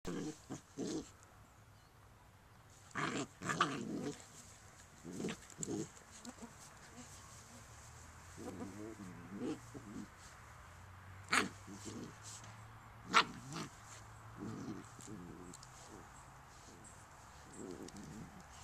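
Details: Two komondor puppies, ten weeks old, wrestling in a backyard: bursts of growling and short yelps come in uneven clusters, with quiet gaps between scuffles and a low hum underneath.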